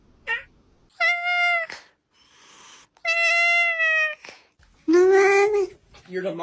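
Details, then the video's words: Domestic cat making comical meows: two steady, flat, drawn-out mews under a second long, with a brief higher squeak before and a lower, louder wail at the end, between human speech and light music. "3 Minutes of Hilarious Cat Sounds"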